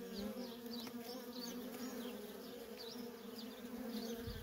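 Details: Busy feral colony of honey bees, workers streaming in and out, producing a constant deep buzzing drone with faint, quick, downward high chirps repeating over it.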